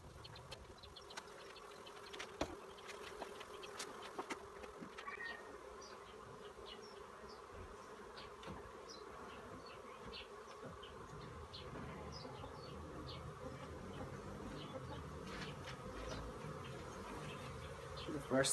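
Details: Asian honey bees (Apis cerana) being transferred step by step into a nuc box. A steady, low droning hum runs unbroken for the whole stretch, with scattered faint clicks and knocks from handling.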